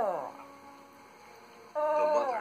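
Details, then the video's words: Pet Schnoodle named Tucker howling indoors in sympathy with a lost Arctic wolf pup on a PBS Nature program about animal friendships. Two wavering, sliding howls, the first falling away, the second starting abruptly after a pause. "Tucker Howling with Arctic Wolf Pup"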